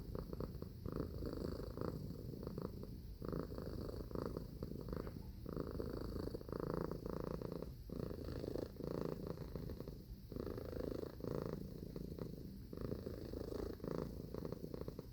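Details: Pet cat giving a long low purr, a continuous vibrating rumble that pulses in and out with its breathing, steady and unbroken.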